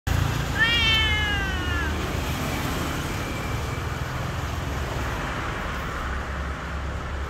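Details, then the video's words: A Siamese cat cries in an old building, giving one drawn-out, slightly falling wail over a steady low rumble. "Siamese cat is crying in an old building."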